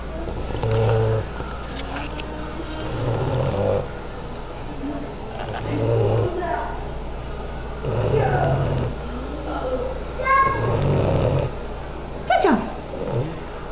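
A sleeping English Bulldog snores in deep, rumbling breaths repeated about every two seconds.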